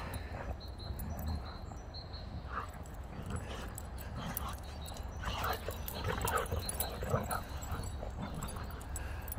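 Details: Boxer dog Rex, a talkative 'drama queen' eager to play, whines outdoors while playing with younger dog Sammie over one toy: scattered short nasal whines and growly bursts, strongest midway, over steady low outdoor rumble and a man's occasional voice.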